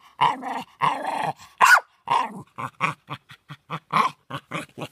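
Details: Jack Russell Terrier barking as usual: growly drawn-out grumbles mixed with one sharp loud bark, then a quick series of short clipped yaps and huffs, about two per second.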